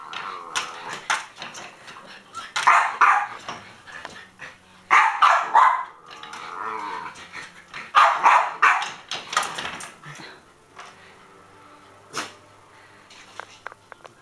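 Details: Caged male Norfolk Terrier barking as he attempts to leap over his cage: rough barks in bursts roughly every two to three seconds, with scuffling and clattering between them and quieter knocks near the end.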